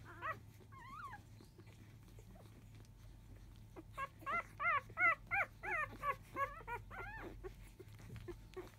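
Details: Field-type Labrador Retriever litter, five days old, nursing from biscuit just past 1 pm and complaining loudly at first; a few drawn whines, then a brisk run of about a dozen sharp rising-falling squeals, nearly evenly spaced.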